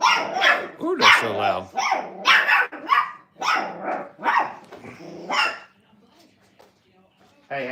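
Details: Brittany puppies, five weeks old, crated in a training kennel, give a run of whiny yelps and rising-falling whimpers about once a second, then fall quiet before one more cry at the end.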